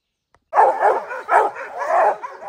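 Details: Rocky, a bear-training hound bred from Gray's Rack Em Willy and Blackstone's Ram-Paige, on the opening day of black bear training season in July 2024; three loud barking bursts after a brief silence.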